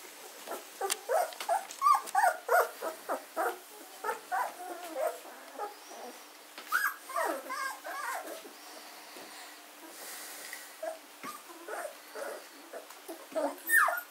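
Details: A litter of German Shorthaired Pointer gundog puppies, 14 days old, recorded on 24 August 2016, keeps up a steady stream of overlapping squeaks, whines and little yips, several puppies calling at once, louder early on and quieter later.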